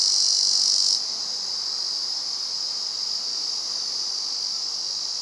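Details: Male Terpnosia nigricosta cicada singing on the summit of Mount Rokkō: a continuous, dense high-pitched buzzing drone, louder for the first second, then steady at a slightly lower level to the end.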